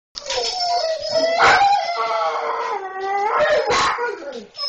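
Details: German Shorthaired Pointers react to seeing a cat, giving a drawn-out, wavering howling whine with rich harmonics. It swells and dips over several seconds, with sharper yelps breaking through twice.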